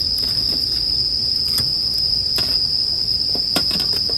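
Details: Bell crickets ringing steadily at high pitch beside a campfire, with several distinct wood-crackle snaps popping through the constant insect trill over a few seconds.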